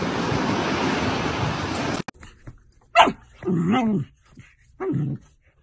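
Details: A Golden Retriever puppy gives a sharp single bark, then a longer wavering yelping bark and one more short bark, after two seconds of loud rushing noise cut off abruptly.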